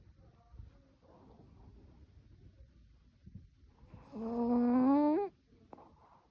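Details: Choco, a sleeping Yorkshire Terrier, snores indoors: soft, faint breathy rasps, then a single drawn-out whistling tone lasting about a second that climbs slightly in pitch before cutting off, followed by quiet breathing.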